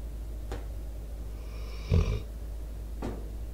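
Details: Debo, a sleeping four-year-old American Staffordshire Terrier/Pitbull, snores into a microphone. One raspy, low rumbling snore with a breathy upper hiss, plus two faint clicks and a steady low hum.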